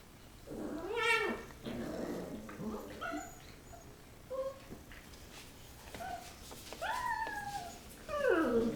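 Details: Rottweiler puppies playing and fighting after eating: sharp high yelps and whines, each bending up then down, a loud one at the start, then scattered short cries and a final pair of drawn-out whines.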